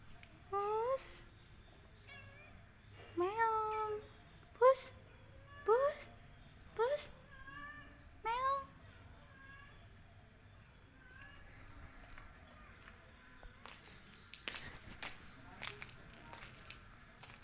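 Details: Angora cat, newly found, gives a quick run of bright, bending meows over the first nine seconds, some sharply rising, then falls quiet while people talk softly and faint shuffling noises follow.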